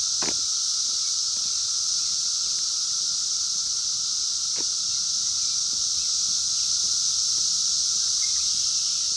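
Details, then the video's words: A 2021 emergence of 17-year Brood X cicadas outdoors, phone-recorded: a relentless high buzzing chorus with an even droning undertone. Two sharp knocks and light rustling occur. "sounds of 17 Year Brood X Cicadas 2021 in the wild"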